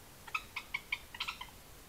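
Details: Two European badgers in a minor scuffle and argument: a faint run of about seven short, sharp squeaks in quick succession, rising to a slightly busier cluster near the end, against quiet background hiss.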